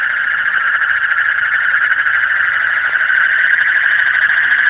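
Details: Night-time frog chorus: dense, rapidly pulsing calls merging into a steady, slightly wavering buzz at one pitch, with no pauses.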